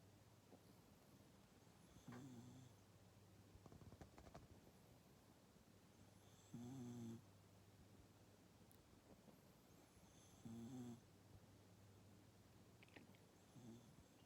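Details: Maru, a rescued pet cat, snoring while asleep in a sprawled, messy posture indoors: three low, rasping snores with a faint buzzy tone, spaced about four seconds apart, over a quiet steady room hum.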